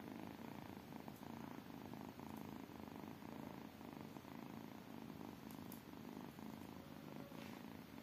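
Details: Tiny kittens purring in a steady, continuous low rumble, pulsing rapidly without pause, with a few faint soft clicks over the top.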